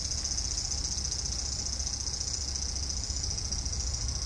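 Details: Cicada singing in a front-yard cherry tree on the evening of 5 August 2012, a hot day; an unbroken, shrill high-pitched drone holds steady throughout over a low background rumble.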